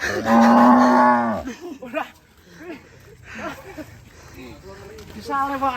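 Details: Cattle at Setia Farm after running away: one loud, steady, low moo of about a second and a half, followed by people talking and laughing in the background.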